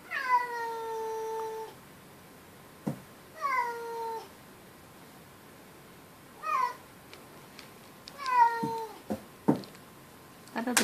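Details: Pet cat indoors, defensive and meowing at an outdoor neighborhood cat: four long, drawn-out harmonic meows that fall then level off, spaced a few seconds apart, with sharp knocks and thumps between them.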